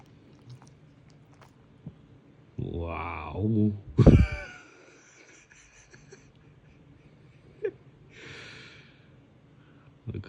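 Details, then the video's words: Shikoku dog getting morning cuddles indoors and not enjoying them much: a low, moaning grumble of about a second, then a sharp breathy snort, with a person talking softly around it in a small room. "Shikoku dog likes morning cuddles (but not that much)"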